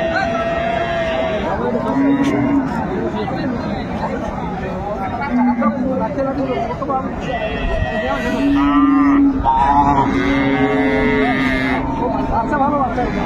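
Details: Several low, drawn-out moos from cows and calves for sale at the Ambari cattle market, Dinajpur, Bangladesh, on Monday, 22 April 2024. The cattle call repeatedly over constant crowd talk and traders' voices.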